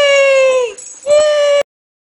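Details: Young puppy Butterball at seven weeks, struggling to descend stairs indoors, lets out a long, steady, high-pitched whine, briefly dipping and breaking, then resuming before cutting off into silence.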